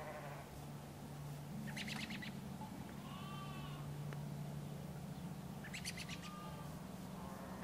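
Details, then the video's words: Sheep on a farm in the morning, a low, drawn-out bleat holding steady for about three seconds, overlaid with bursts of bird chirps and a couple of clear rising whistles from other birds nearby. "FARM MORNING | nice sound with sheeps"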